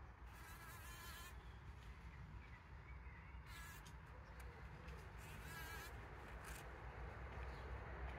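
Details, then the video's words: Pollen-collecting bees on 17 June 2023, captured with a trail camera: an even, deep wing hum throughout, overlaid by intermittent rustling bursts and faint distant birdsong. "Bees Collecting Pollen"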